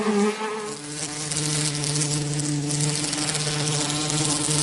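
A bee buzzes steadily, a low droning hum with a slight wavering pitch.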